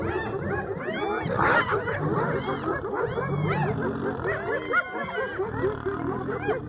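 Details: Spotted hyena clan moving in to drive lions off a buffalo carcass in Kruger National Park, South Africa; dense chorus of overlapping arched yelps and cackling whoops from several animals, low rumbling growls beneath.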